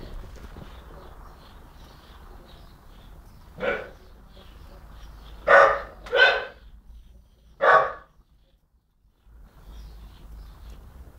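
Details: Young dog around 10-11 months old barking at birds and at the person filming; four short sharp barks between about 3.5 and 8 seconds, irregularly spaced, over low background hum, followed by a person calling the dog inside.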